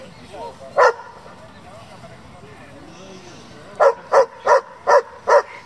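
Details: German Shepherd of a breeding and competition group: one sharp bark, a quiet stretch with distant voices, then a quick run of five loud barks.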